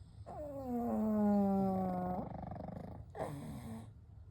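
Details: Night snoring from three pugs, Kou, Gen and Shun, sleeping together: one long, steady, nasal whistle-snore holding level before dropping off, then a brief huffing exhale after a short pause.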